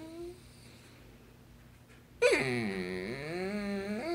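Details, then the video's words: Basset hound, described as very vocal, indoors: about two seconds of near quiet, then a loud sudden howling whine that swoops down, wavers and climbs again at the close. "A very vocal basset hound"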